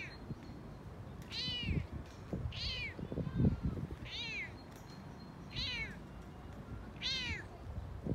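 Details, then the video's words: Excited male Toyger cat chattering on a walk, purring as well: five arched, falling meows repeated about every one and a half seconds, with low rumbling and rubbing noises underneath. "Frodo the Toyger Talking on a Walk"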